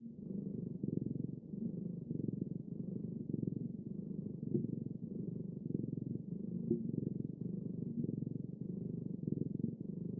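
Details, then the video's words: A cat purring in a steady, low rumbling drone with rhythmic pulses, continuous throughout and without other sounds. "猫のゴロゴロ音【Cat rumbling sound】"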